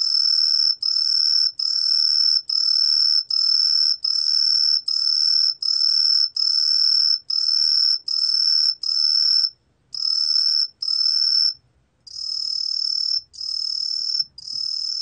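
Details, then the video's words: Truljalia hibinonis cricket producing high, ringing chirps, each about half a second long, repeated in a fairly even series, then a few shorter and fainter notes with brief pauses; quiet background. "청솔귀뚜라미, 여러번 듣기, 곤충소리"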